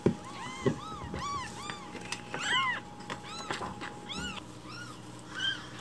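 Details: Hungry rescued baby kittens meowing loudly at home in the morning, demanding milk; several overlapping arched meows tumble out in quick succession, mixed with soft clicks and handling noises.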